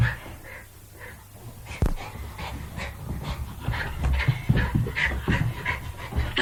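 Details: Jack Russell Terrier at play: low rumbling growls with short snorting, panting bursts, quiet for the first second and a half, then a louder run of scrappy grumbles and huffs.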